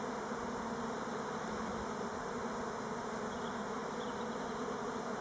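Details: Elgon Buckfast honey bees making orientation flights on Timrarö near Stockholm, not swarming: a steady, dense hum of many wings, even and unbroken throughout, with no other clear sounds.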